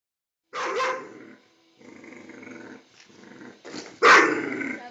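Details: Dog aroused by a blower before music calms it: a loud bark, a lower growling stretch, then another harsh bark near the end.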